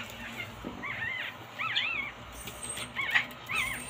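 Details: Chihuahuas that have grown cold whimper in high, thin whines, about five arched rising-and-falling cries spread over a few seconds, with a low steady hum underneath.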